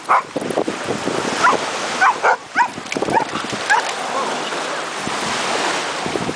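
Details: Cane Corso (Italian Mastiff) puppy at a dog beach: short, sharp, high-pitched barks and yips come in a loose cluster over the first four seconds, then fade into steady rushing surf, with faint voices in the background.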